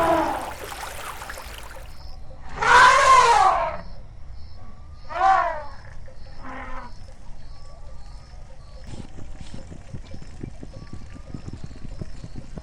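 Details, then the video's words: Elephant trumpeting: a loud, rough blast, then two shorter, fainter harsh calls a few seconds apart, with low rumbling and scattered noise around them. "Elephant Sounds, Elephant Real Sounds"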